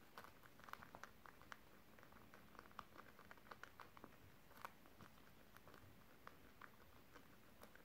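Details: Domestic guinea pigs crunching beetroot in a small room on December 30, 2023, giving rapid crisp munching ticks and brittle snaps scattered densely through the whole stretch, with no other sounds.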